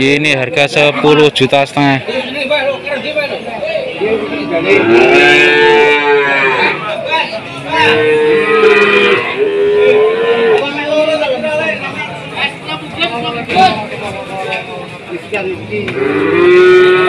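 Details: Several overlapping moos from cattle at the crowded Jatirogo market in Tuban, during a foot-and-mouth outbreak, rising and falling across the middle of the recording, mixed with steady talking and some music.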